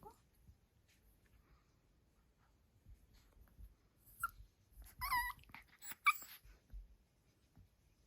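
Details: Dog at home indoors, asking to play, gives a few short high whines and yelps in quick succession, some with wavering pitch, between quiet pauses and soft room noise.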